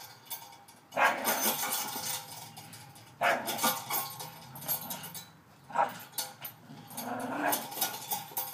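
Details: Playing with his new spring pole Christmas present, a male Staffordshire Bull Terrier makes rough growls with three loud, noisy bursts, while scraping and rattling play sounds continue around them.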